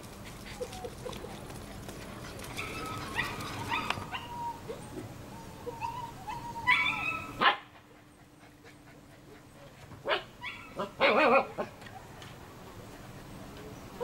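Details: German Shepherd puppies, litter of Iska v.Muikenshof and Eros v.d.Romerau born 27 July 2014; scattered sharp yelps and short barks come in bursts, loudest near the middle and again toward the end, with rustling between.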